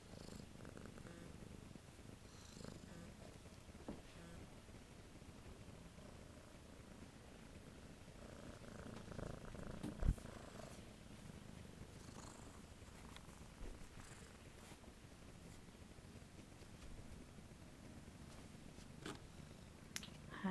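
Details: Kitten 13473, awaiting adoption at The Cat House on the Kings, purrs steadily and low for about twenty seconds, a continuous rumbling drone with faint soft rustles and a brief knock near the middle.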